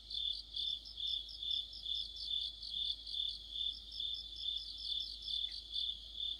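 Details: Crickets and other insects singing together in deep autumn. A constant shrill ringing tone is layered with pulsing chirps repeated roughly twice per second. A brief faint lower chirp sounds near the end.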